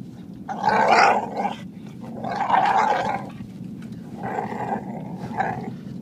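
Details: Female dog, 47.5 pounds, still drying off after the dog park, making Chewbacca-like grumbling, growly noises while her chin and neck are scratched; three rough, roaring bursts about a second long with short gaps, indoors.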